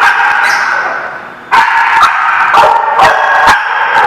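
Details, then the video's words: Barking from dogs at The Barking Lot, 18 November 2017: a steady din of overlapping barks, dipping briefly, then renewed with sharp, repeated barks about every half second. "The Barking Lot"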